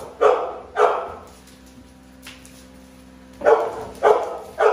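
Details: Navi and Nyla, two American Bully dogs, give two gruff barks, fall quiet for about two seconds, then bark three more times in steady rhythm.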